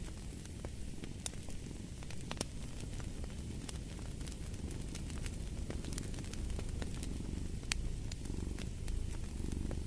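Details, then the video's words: Domestic cat purring as a steady low rumble, its breathing rhythm only faintly marked, overlaid by sharp crackles and pops from a fireplace throughout. "Fall asleep to the Purring of a Cat"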